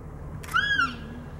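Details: American black bear cubs feeding on a deer fawn in Yellowstone National Park, calling to each other: a single clear, arched, tonal cry lasting about a third of a second, over a low steady background rumble.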